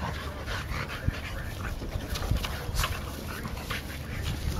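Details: Olde Boston Bulldogges at play, July 2012: two brothers and their white sister, 1 year 8 months old. Rough snorting and panting bursts come in quick irregular clusters, with a continuous low hum behind.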